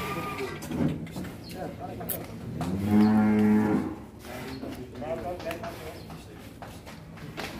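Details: Large cattle, agitated while being led out of its pen on a farm, gives a loud drawn-out moo of about a second with rich harmonics, amid shorter lowing, people talking and background music.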